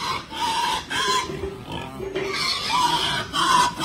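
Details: Farm-raised Berkshire x Pietrain gilt uttering repeated hoarse squealing grunts in short bursts about every half second to second, with a man talking in a Philippine language.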